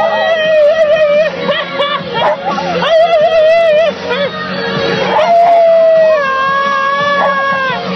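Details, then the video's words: Parker, a wheaten terrier puppy, sings along to Sia in a car. Wavering, drawn-out howls, held and sliding in pitch, rise and fall over loud pop music with a female vocal. "Parker the Puppy Sings Sia"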